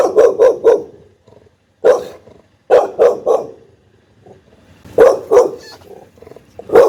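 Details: Pit Bull barking angrily and loudly: sharp, rough barks in quick bursts of two or three, repeated after short pauses, with faint growling in between and no other sounds.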